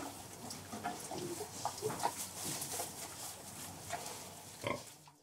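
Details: Pigs in farrowing pens, sows with their piglets, give short, soft grunts over a steady hiss of barn noise.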